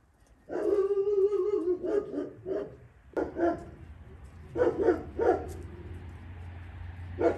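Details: Dogs at a Romanian rescue kennel holding Caucasian shepherds, Mioritic shepherds and strays: a drawn-out harmonic yelping howl opens, then a run of irregular barks and yips comes in quick bursts, with a low steady hum beneath.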